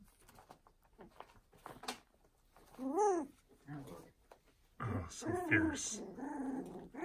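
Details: Newly arrived litter of foster puppies: a few short, arching whiny grumbles, one near the middle and a cluster toward the end, with quiet gaps and soft handling noises between.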